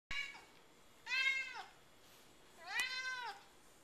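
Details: Domestic cat named Sammy meowing after its owner sings: two drawn-out harmonic meows, the first rising then falling, the second longer and bending downward, following a sharp click at the start, in a quiet room.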